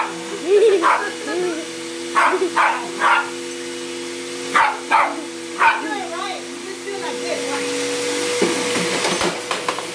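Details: A house dog barks at the vacuum cleaner in short bursts, some in quick pairs, while the machine hums steadily underneath and a human voice is heard.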